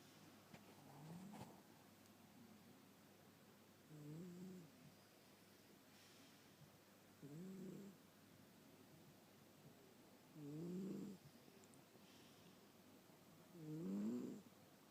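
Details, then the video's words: Sleeping pet cat snoring: soft, low, rasping snores recurring roughly every three seconds, growing louder toward the end, over a faint steady background hum. "My cute snoring cat"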